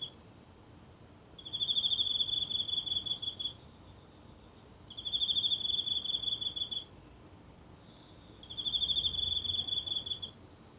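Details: One insect singing at night in the grass of a tiny garden in Japan, phone held close: three high, pulsed trills of about two seconds each, with quiet gaps between them.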